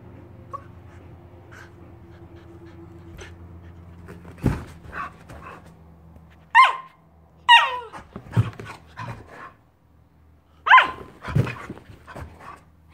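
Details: A giant Alaskan Malamute puppy plays hide and seek with his Husky sister, teasing her from his favourite hiding spot: a few short, sharp whining yips and barks, scattered and irregular, with thumps and low background hum between them.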